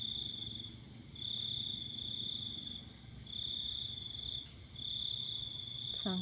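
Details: Night chorus of crickets heard while watching the full moon, shrill high trilling swelling in repeated bursts of about one and a half seconds with short lulls, a faint click midway and a woman's voice starting at the very end.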